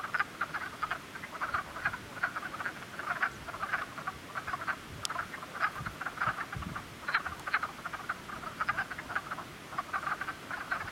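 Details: Group of frogs croaking in spring, a thick chorus of quick, repeated rattling pulses at mid pitch with no pauses. A single sharp high click cuts through briefly.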